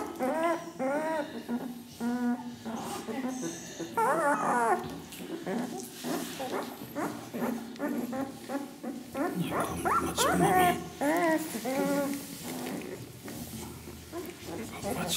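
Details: Ca de Bou puppies, ten days old, from the parents Ivi and Tito, whimpering and squeaking in short harmonic bursts that repeat rapidly and irregularly, with some rising whines, over faint background music and a low hum.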